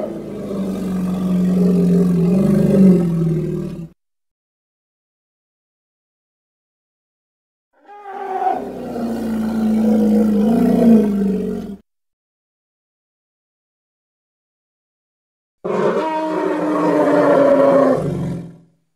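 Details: Hippopotamus from Congo: three loud, harmonic bellows of roughly three to four seconds each, deep and rich with overtones, separated by stretches of silence.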